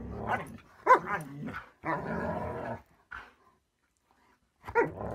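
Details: Pet Siberian Husky voicing short throaty bursts, a sharp bark-like yelp, then a longer rough growling stretch, separated by silent gaps and ending with another abrupt bark.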